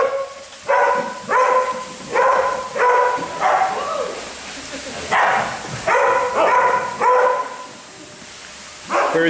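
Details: Oakley the Husky at day care: a run of loud harmonic barks and yips, about one every half-second in bursts, with a pause midway, then resuming; human voices faintly underneath.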